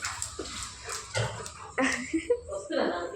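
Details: Pet Labrador Retriever named Bruno making a fuss as its owner heads upstairs to dry clothes. High whines and short yips come in uneven bursts, mixed with a woman's Telugu speech telling him no.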